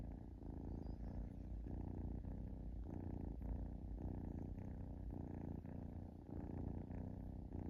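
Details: Young domestic kitten relaxing and purring indoors; a steady low rumbling purr, pulsing in regular cycles roughly every half second to second, continuous throughout with no other sounds.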